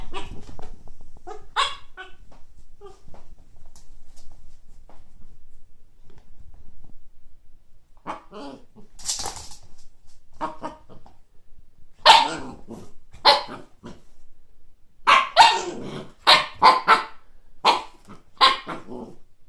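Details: Siberian Husky puppy seeing a frisbee for the first time; quiet stretch with faint noise, then bursts of short yips, whines and huffing barks clustering in the second half, irregularly spaced.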